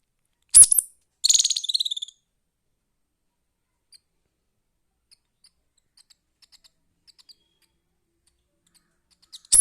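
A young squirrel gives thin, high-pitched chirps, one burst running into a quick trill.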